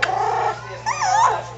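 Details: Schnoodle puppies, three and a half weeks old, wrestling with each other; a sustained tonal whine, then a wavering rising-and-falling yelp, over a steady low electrical hum.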